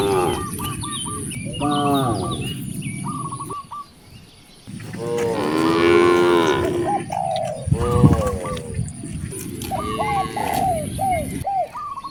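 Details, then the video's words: Hungry village cows mooing toward vast rice fields: one long, loud, wavering moo swells mid-clip, with shorter moans around it, while quick repeated chirps of birds or fowl and a constant high hiss continue in the background. "The sound of hungry cows mooing"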